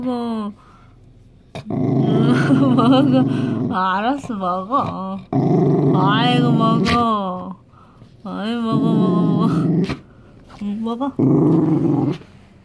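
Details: A scared Dachshund growls as it eats a homemade treat: repeated low, throaty growl bursts mixed with wavering high whines and yelp-like notes, separated by short quiet gaps.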